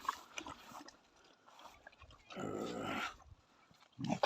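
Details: Newly acquired Sivas Kangal pups destined to guard a flock; the male pup, jealous over his food toward the female pup and a chicken, gives a rough, broadband growl lasting about half a second amid quiet eating noises, with a short loud burst at the end.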